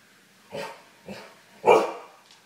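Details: Pet husky upset after the satellite TV signal went out, giving three short, hoarse barking yowls about half a second apart, the last one loudest and longest.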